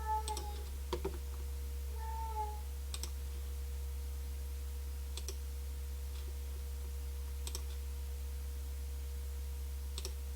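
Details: A pet Devon Rex cat meowing loudly in the background indoors while its owner plays a computer game: two short, tonal, slightly falling meows near the start and about two seconds in, with steady mouse clicks and a low electrical hum throughout.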